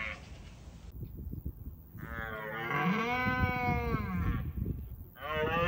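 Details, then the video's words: Rutting red deer stag in Bushy Park gives a roar meant to warn off rival stags: a drawn-out, harmonic bellow of about two and a half seconds, with low rumbling background noise and another roar beginning at the end. "Roaring Wild Red Stags Compilation"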